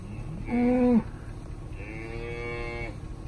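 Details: Herd of Angus, Brangus and Black Motley Face cow-calf pairs, cows aged 2-7: two short moos, the first loud and brief, the second longer and softer, each a steady harmonic tone ending with a slight drop.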